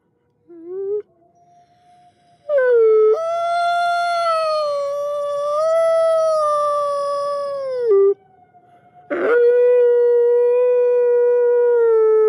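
A wolf gives long, smooth, mournful howls that swell gently and slide down at the end.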